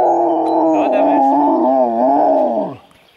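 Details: An Alaskan Malamute at Mežpils, Latvia, eager before a five-hour backpack hike. One loud, sustained, wavering howl lasting nearly three seconds, with a low growly undertone, dipping and then sliding down at the end.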